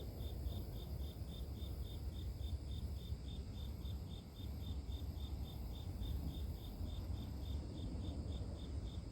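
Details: Pure nature sound of a cricket for inducing sleep, steady high-pitched chirps repeating evenly about four per second against a heavy, continuous low-frequency hum.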